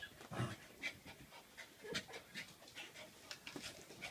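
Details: Three-month-old Corgi puppy seeing its own reflection in a mirror for the first time: quick, breathy panting and sniffing bursts, irregular, roughly every second or two, with faint shuffling in between.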